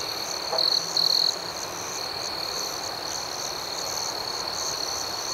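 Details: Crickets chirping at night, two short louder shrill trills near the start standing out over a steady, unbroken high-pitched chorus with soft rhythmic pulses.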